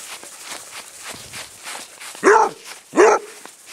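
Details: Squiggy the basset hound, adopted from a Phoenix, Arizona rescue, gives two hoarse barks under a second apart while chased around a small grassy patch in play, with quick running footsteps rustling through the grass beforehand.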